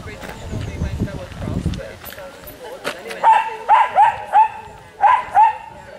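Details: Welsh Terriers gathered at a meet at Chatsworth House; after a stretch of human speech, a run of six quick yapping barks fires off in the second half, with voices faintly behind.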